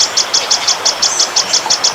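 A grasshopper chirps in quick, even high-pitched pulses, about six per second.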